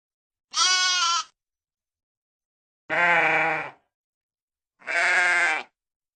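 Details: Sheep bleating three times in about six seconds, each a wavering, nasal, harmonic-rich cry under a second long, the first higher and thinner, separated by complete silence.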